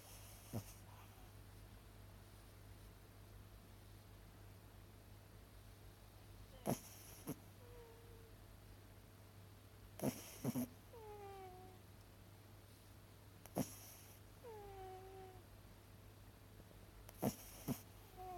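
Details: A sleeping female miniature dachshund gives soft, high whimpers that slide downward, with scattered thumps and clicks.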